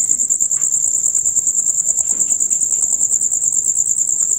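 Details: Loud rapid chirping of male crickets, a constant dusk-to-dawn chorus: shrill, high, evenly pulsed trills running continuously through the short stretch, with soft scattered low noises underneath.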